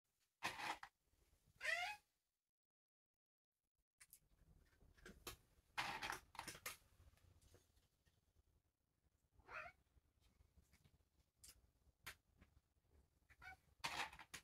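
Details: Markus, a Turkish Angora cat, doing tricks indoors, gives a couple of short pitched, bending meows, one early and one near the middle. Quiet room with scattered light taps and rustles between them.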